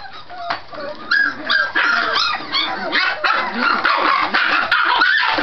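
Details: Vocal Scottish Terrier puppies at play, not fighting; choppy yips and rising squeaky barks tumble over one another with rough growling underneath, coming about every half second, with a faint human voice.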